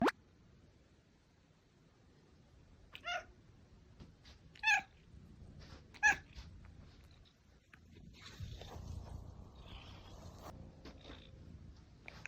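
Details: Domestic cat meowing indoors: three short, strained meows near the 3, 4.7 and 6 second marks, each a brief harmonic burst, separated by quiet room tone; a low rumbling shuffle and faint clatter fill the final seconds.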